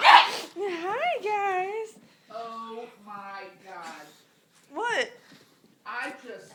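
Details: Pug giving weird noises: a string of six short whiny, warbling cries with wavering pitch that rises and falls, some drawn out and quavering, separated by brief pauses, with a sharp snort-like burst at the start.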